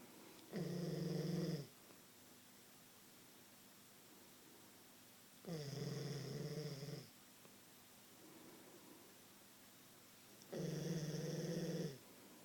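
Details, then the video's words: Queensland Koolie asleep indoors, snoring in a steady cycle: three loud, low, buzzy snores, each about a second long and spaced roughly five seconds apart, with a softer breath heard between the second and third. "My Koolie snoring"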